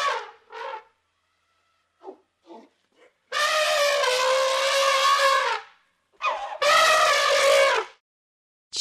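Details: An elephant trumpeting: a few short blasts at the start, then a loud, brassy, sustained blare lasting over two seconds, then a short blast and another loud, sustained trumpet of about a second, with short silent gaps between.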